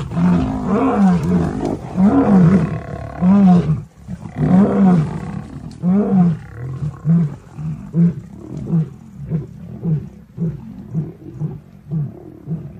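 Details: Lions fighting to protect their cubs; deep, rough roars swell and fade in a loose series, then give way to shorter grunting pulses roughly once a second that gradually weaken toward the end.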